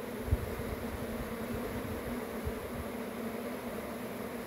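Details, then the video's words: A honey bee swarm hums continuously, a thick steady drone, with a few soft low knocks, including one near the start. "Honey Bees"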